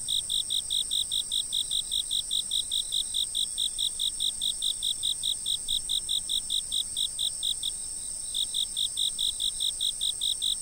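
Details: Night insects heard from a fixed-position camera for relaxing sleep listening: evenly spaced high chirps repeating about two and a half times per second, one brief gap mid-clip, with a continuous shrill buzzing band behind.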